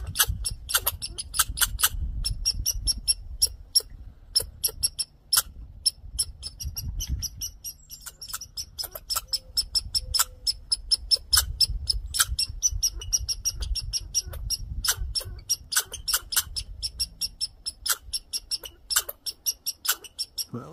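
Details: Agitated male red squirrel making a grouchy fuss: bursts of rapid, rattling chatter and squeaky clicks, with brief pauses between runs, and low rumbling noise beneath.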